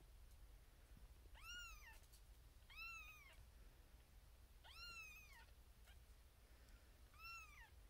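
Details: A female Siamese kitten, firstborn of her litter and born 1 April 2021, lies in a birthing box with six sleeping littermates. She gives four high, arching meows a second or two apart, calling for her owner's attention.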